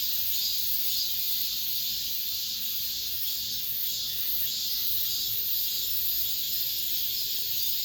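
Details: The summer's final cicada song in an apartment complex: a loud, high, unbroken buzzing chorus. It pulses rhythmically, close to twice a second, throughout.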